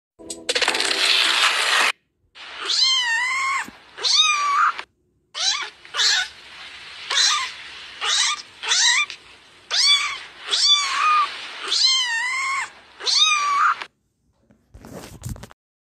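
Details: Domestic male cat sulking because he has to wear clothes. Loud, wavering, drawn-out yowls repeat about every second, each one rising and falling in pitch, after an opening burst of rustling noise.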